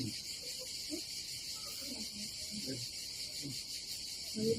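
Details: Cicadas on a summer day at a seaside campsite by the Adriatic Sea in Croatia: a steady, dense, high buzzing drone that runs unbroken throughout, with faint low human voices underneath.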